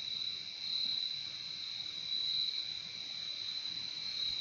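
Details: Crickets heard in nature: a steady, piercing high trill from many insects that runs without breaks, brightening in a couple of places, over a quiet background.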